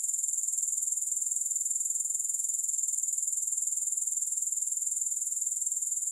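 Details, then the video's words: Grasshoppers give a steady, shrill, rapidly pulsing trill at constant volume, a dense high insect buzz with no music or other sounds. "Grass Hopper Sounds"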